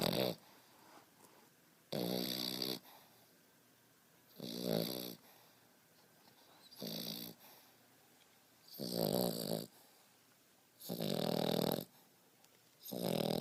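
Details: French Bulldog Beau, five and a half months old, asleep and snoring: six harsh, wheezy rattling snores, each under a second, spaced about two seconds apart with soft breathing in the gaps.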